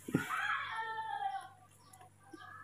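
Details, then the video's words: A baby monkey, cared for at home, grows angry when made to walk on the floor. It gives a loud, harmonic, wavering squeal that lasts about a second and a half, then fades. Faint background noise follows. "very angry when told to walk on the floor"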